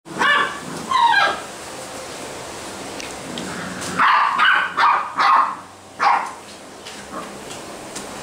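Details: Basset Hound puppies at a Brazilian kennel giving a series of high, yelping barks and whimpering yips, in short bursts spaced irregularly, about one per second.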